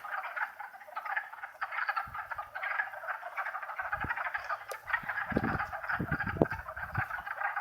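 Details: Wood frog (Lithobates sylvaticus) chorus in Longkill Woods wetlands on a warm April 2014 spring day, a steady overlapping mass of rough clucking calls that react to an approaching person.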